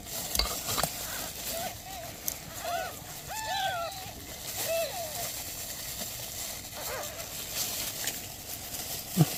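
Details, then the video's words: A mother cat asking for help beside newborn kittens: a cluster of four or five short, arched meows in the middle of the clip, half-buried under steady crackling, hissing background noise. "Mother cat ask for help! Newborn kittens meows"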